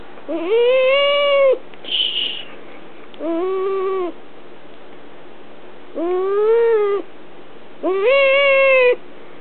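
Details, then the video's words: Held female house cat whining out of mild annoyance; five long, nasal, arched mews, each about a second, rising then sagging, with gaps between and a brief hiss-like rustle after the first. "Cat whinning & making funny sounds"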